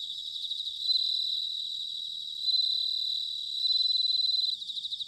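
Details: Bell cricket in autumn, recorded at Sanuki in Chiba, Japan, sings three bright ringing bursts, each swelling and fading over a second or so, backed by a dense high insect chorus.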